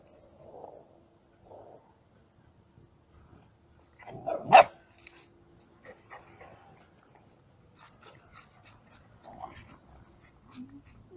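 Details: Yard dog puppies, met along the road while traveling, behaving unusually when approached; one sharp, loud yelp-like bark bursts out midway, with soft faint rustles and quiet murmurs before and after.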